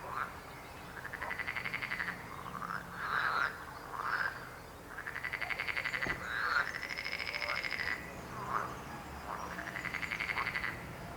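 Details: Croaking frogs give long rattling calls, each a rapid train of pulses lasting about a second, repeated every two seconds or so. Shorter clucking croaks from other frogs are scattered between them.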